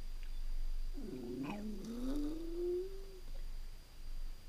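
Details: Jack Russell Terrier alone at home for a few hours, letting out one long whining howl that swoops upward and holds a steady tone for about two seconds before fading, in a quiet indoor room.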